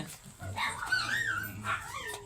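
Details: Pure white liver-nosed Poodle during a stud session at a house in Manaoag, Pangasinan, giving high whining whimpers that rise and fall, with a woman speaking Filipino nearby.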